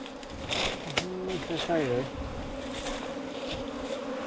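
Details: A nest of honey bees lodged in a 4-metre bamboo stem hums in an even, buzzy drone, and a man speaks a few words in the middle over it.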